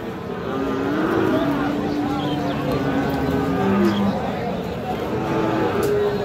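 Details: At Raniganj haat in Dinajpur, among Friesian and crossbred bull calves on 31 July 2025, a sustained low moo runs for over two seconds, followed by shorter lowing notes, beneath a steady hubbub of talking traders.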